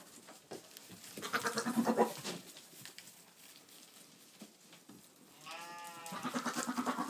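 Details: Boer buck goat talking to goats: a wavering, pulsed bleat in the middle and a short harmonic bleat later, with rustling and background noise.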